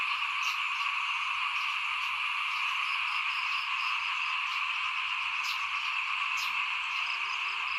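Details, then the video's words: Frogs calling in front of a house as rice is broadcast for planting, 2021. The chorus forms a dense, steady drone, and short bright high clicks or chirps break in at irregular intervals. "เสียงเขียดร้องหน้าบ้าน ตอนหว่านข้าวเตรียมปลูก"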